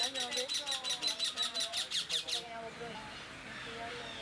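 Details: Hungry otter pups, one of four 8-week-old young at Loro Parque with parents and older siblings: a rapid run of high squeaky chirps, about nine in under two and a half seconds, then silence, with human speech underneath.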